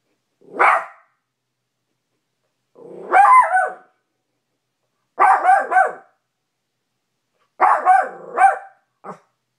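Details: Little male Maltipoo named Cash barking at his reflection in a bedroom mirror. Four bursts come about two seconds apart: a lone yap, then double and triple barks with rising-falling yelps, plus a short final yip.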